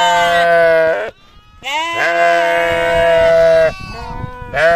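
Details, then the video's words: Sheep or lamb bleating on a farm: loud harmonic baa calls around one to two seconds long, with a short pause between them and a final call starting at the end. "sheep sound , lamb sound"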